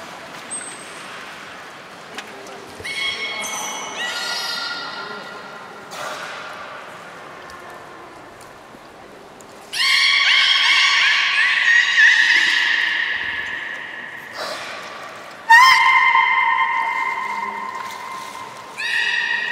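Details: Captive belugas Gray, Nana and Nico training at Port of Nagoya Public Aquarium, Japan, on New Year's Day 2019, after the 16:00 public session. Several separate harmonic calls, some short and some drawn out with rising onsets, sound between quiet gaps.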